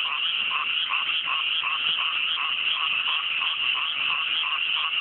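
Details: Many frogs in full chorus at night in cool mountain rice paddies freshly planted with rice, fine weather; overlapping croaks with lower pulses bubbling up several times a second over a steady high buzzing layer.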